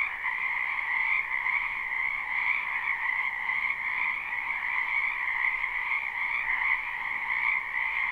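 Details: Many frogs calling together in a wetland in spring, captured live: constant overlapping trills hold two even pitch bands with slight rhythmic flutter, no pauses, and no other sounds standing out.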